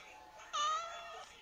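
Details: Pet cat named Beth Harmon giving a single short, bright, slightly falling meow lasting under a second while being asked what is wrong with her nose.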